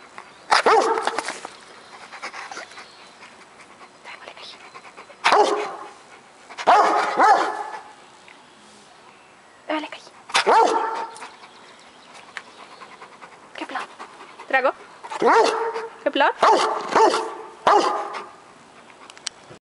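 A Rottweiler gives a run of moaning, sing-song vocalizations, each burst rising and falling in pitch rather than a sharp bark. A person's voice can be heard briefly between the dog's 'talking' sounds.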